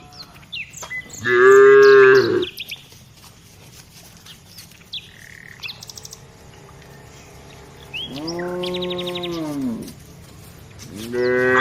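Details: Tame village cows moving along while herded, three separate moos: a loud short low bellow, a longer one that rises and falls, and a final one cut off at the end, with birds chirping throughout.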